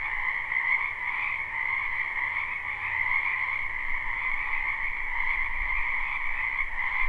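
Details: Springtime wetland alive with croaking frogs, recorded live behind a house: overlapping high trills form a continuous steady chorus, accompanied by a faint low rumble near the end.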